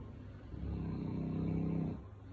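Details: Sully, a Boerboel, pesters his owner and paws at her because he wants to play and be petted. He gives a low, droning, moaning groan lasting over a second, with a faint low hum beneath it.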